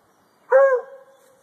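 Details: Single short bark from a male Treeing Walker Coonhound treeing at a tree, a bright clipped onset easing into a steady tonal tail that fades after about half a second; quiet background otherwise.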